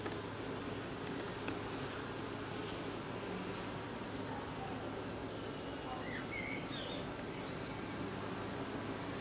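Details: Honey bees fan at the hive entrance as evening falls, a dense low humming drone under a hiss, with a couple of faint bird chirps.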